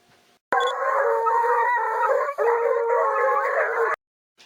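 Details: Beagle puppies howl together in a steady, overlapping chorus of wavering, mid-pitched whines.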